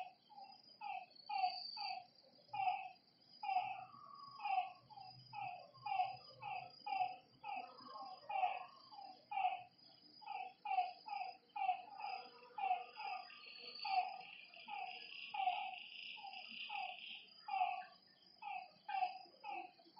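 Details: Frogs at a lake after dark call in bursts of short, clipped croaks, several each second, rising and falling in loudness, with a brief higher insect buzz partway through.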